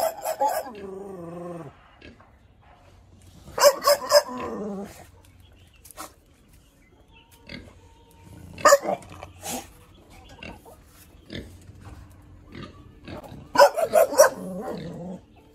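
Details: Caged hunting dog giving harsh bark bursts mixed with drawn-out whining yelps that slide downward in pitch, separated by quiet gaps of several seconds.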